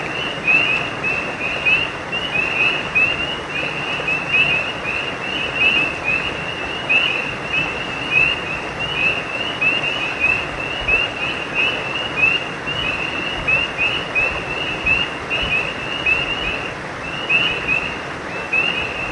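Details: Creekside frogs at night keep up a continuous chorus of high, short chirps for twenty seconds. Calls overlap and pulse unevenly against a steady rushing background.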